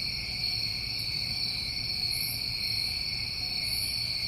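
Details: Steady shrill chorus of New England summer crickets, an unbroken pulsing hum at two pitches, with two faint, very high buzzy bursts heard late on.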